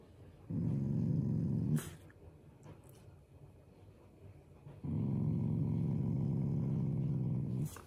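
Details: Shiba Inu growling playfully and affectionately at its owners rather than in anger, indoors: two long, deep, rumbling growls, the first about one second, the second nearly three seconds, separated by a quiet gap with faint thumps.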